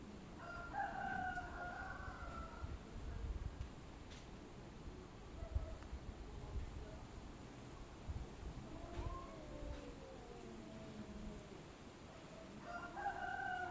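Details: Two or more cats quarrelling, exchanging wavering, harmonic yowls in short bursts at the start, middle and end, over constant low background rumble.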